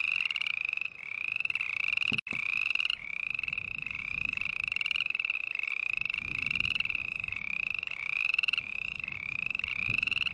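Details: Continuous series of rasping, slightly upslurred calls from a green tree frog, about two per second, with one sharp click near the start and a faint low rumble beneath.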